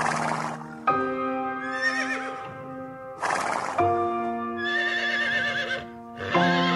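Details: Horse neighing: wavering, shaky high whinnies that quaver up and down, heard twice in a few seconds over loud steady background music with sustained tones.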